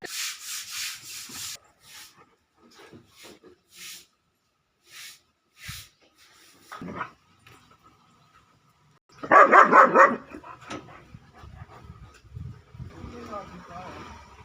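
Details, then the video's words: German Shepherd puppy giving one loud, harsh bark burst near the end, preceded by scattered faint clicks and soft taps, then quiet rustling and low background noise. "gsd original Sound || Cute Puppy"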